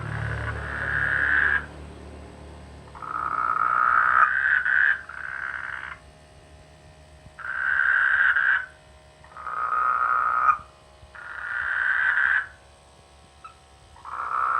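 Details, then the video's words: Frogs croak in rice fields during the rainy season near a village, giving loud, mid-pitched croaking bursts, each about a second and a half long, separated by short pauses. "The sweet sound of frogs in the rainy season"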